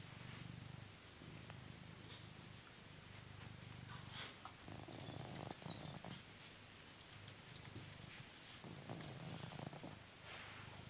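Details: Purring blue British Shorthair cat, a grown male living in England, during a brushing session: a steady, low, rumbling purr with light rustling and faint scratchy brush sounds on top.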